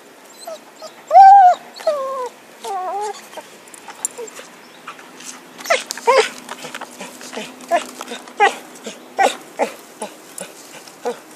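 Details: Happy, a dog with a stick, recorded in 2012: a few high, wavering whines rise and fall, then give way to a quick run of short, sharp barks and yips repeated roughly every half second.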